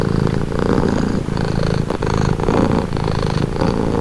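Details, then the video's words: Domestic cat purring steadily, offered as a calming, relaxing sound; a continuous low rumbling throb with breathy swells in a slow rhythm, close and loud throughout, nothing else heard. "Purring cat"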